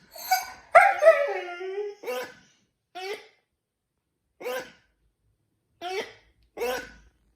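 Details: Siberian Husky howling after hearing a dog toy, though it seldom howls: one wavering howl of about a second that falls in pitch, followed by a run of short, clipped woo-like yips repeated roughly every second.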